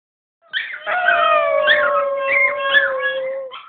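Two small dogs howl together in long, steady, tonal notes, one voice wavering higher above the other.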